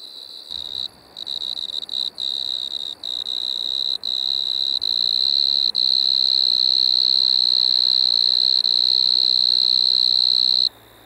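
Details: Striped Marsh-cricket (Pteronemobius lineolatus) recorded at Maggia, Switzerland, 1 September 2023: high trill starting in short broken bursts with brief pauses, then settling into a long unbroken buzzing trill before stopping abruptly.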